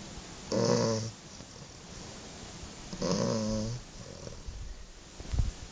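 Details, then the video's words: English Bulldog snoring indoors: two rough, rattling breaths about two and a half seconds apart, low and raspy, with quiet background hiss between them. "bulldog ingles roncando"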